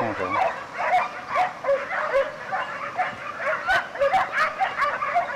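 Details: Segugio Italiano hound pack, 2004 European champions, on the trail of a hare. Many dogs give continuous overlapping yelping bays in rapid, irregular bursts, with a brief low human voice at the start.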